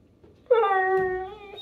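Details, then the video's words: Pit Bull indoors making a 'talking' vocalisation while its owner asks whether something is under the couch. One sustained, tonal, moaning whine lasts just over a second, holding steady and then dipping slightly. "Talking Pitbull Clearly Says Words!"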